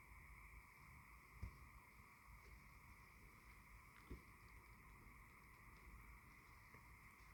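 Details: A distant tree frog chorus on the spring equinox, with owls about, blends into a steady, shimmering drone at two pitches, with occasional faint knocks and clicks.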